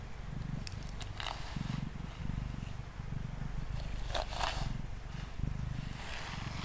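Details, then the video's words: Mango the male cat, sitting on a table and purring during a brushing session; strong pulsed low purr fills the clip, with a few light brush strokes around one and four seconds. "Cat Purring & Brushing Sounds"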